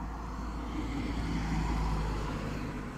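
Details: Only a low, steady rumble of passing traffic is heard, with no animal calls.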